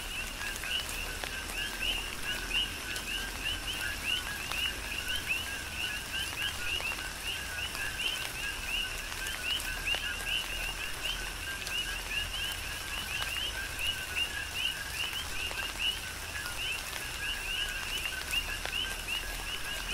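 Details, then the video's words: Coqui frogs calling together in tropical rain on Hawaii's Big Island: dense, continuous two-part chirps rising from low to high, layered many deep, with soft rainfall hissing and dripping beneath. "Tropical Rain & Coqui"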